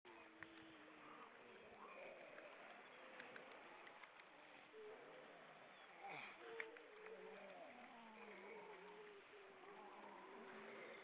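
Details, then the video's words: Grey seals singing in the evening on the Baltic Sea, Estonia: many overlapping wavering moans that rise and fall in a low to middle pitch, crowded together with faint clicks and splashes. "Grey Seal, evening song"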